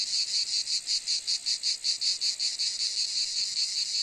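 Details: A cicada buzzes high and harsh in rhythmic pulses, clear throbs at first that blur into a more continuous drone toward the end.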